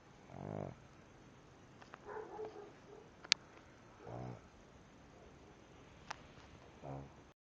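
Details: Sleeping pug snoring in short, rough, low bursts, three of them spaced roughly three seconds apart, with faint snuffles and two sharp clicks between.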